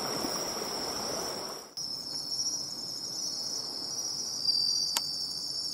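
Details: Bell crickets at the seaside, sought by ear during nature watching: a steady, high ringing trill runs throughout, with rustling noise in the first seconds and a brief click near the end.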